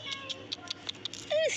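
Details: Pet cat at home giving one short falling meow near the end, after a series of soft clicking taps.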